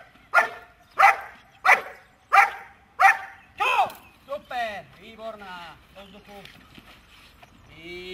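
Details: Dog barking on command during a hold-and-bark exercise: five sharp evenly spaced barks about every 0.7 seconds, then a handler's voice giving praise and commands.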